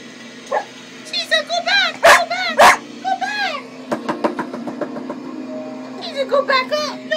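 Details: A cocker spaniel gives two sharp barks at cocker spaniel puppy sounds playing from a computer, amid high puppy whimpering and a person talking; he reacts like this whenever he hears puppies.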